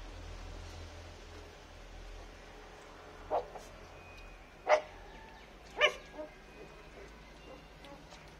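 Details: Native-breed puppies, 21 days old, learning to bark: three short, high yappy barks around three to six seconds in, with a faint follow-up yip, over a low steady hum.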